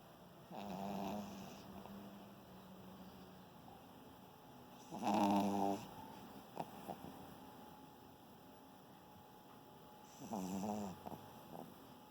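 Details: Bonnie, a sleeping German Spitz (Pomeranian), snores in short buzzy, harmonic-rich bursts at roughly five-second intervals, three breaths across the stretch with quiet pauses between them indoors.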